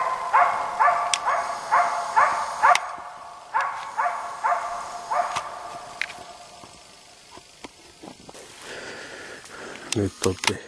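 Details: East Siberian Laika Ahmarakan Vera, a Finnish champion, baying at a moose during a hunt: a quick, even run of ringing barks that fades to scattered barks, then close rustling and footsteps through undergrowth.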